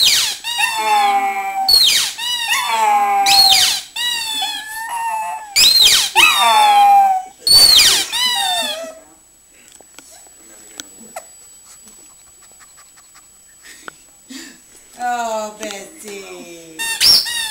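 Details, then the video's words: Pug Bessy, wanting her toy, gives a run of quick whining howl bursts that break into squeaky, falling wails. Several seconds of near quiet with faint clicks follow, then the howling resumes near the end. "pug howling"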